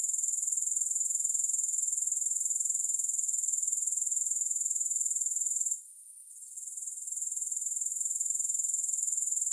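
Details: Grasshoppers recorded without music, giving a continuous thin, high ringing chirr with fast regular pulses. A short gap of near silence comes partway through, then the trill slowly swells back to its earlier level.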